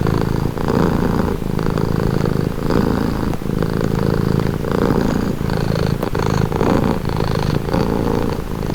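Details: Cat purr for relaxation, a rough low rumble pulsing in rhythmic in-and-out phases about once a second, even and continuous with nothing else heard.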